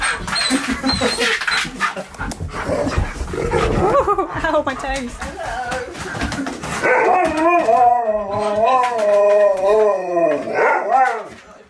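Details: Male Siberian Husky, excited that his best friend is coming over, vocalising at home: a person speaks at first, then the dog breaks into a sustained wavering, yodelling whine-howl that rises and dips repeatedly over about four seconds.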